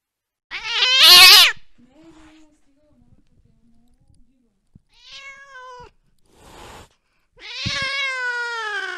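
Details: During a late-night chase after a mouse, a cat lets out a harsh, shrieking yowl. Faint low murmurs follow, then a short meow, a brief hissing burst and a final long, wavering meow.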